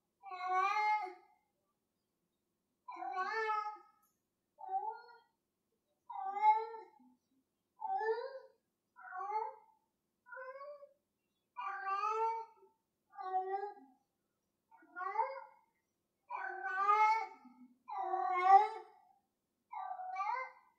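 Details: House cat calling insistently while playing with a string: about fifteen clear, harmonic meows, each roughly half a second long, repeated every one to two seconds with uneven spacing and varying pitch contours.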